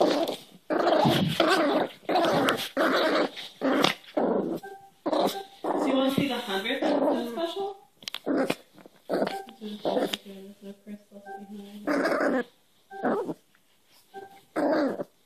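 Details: Cairn terrier puppy, new to the household, growling during hand-wrestling play; continuous rough growls in close bursts, with a human voice speaking briefly in the middle and some whiny tonal notes.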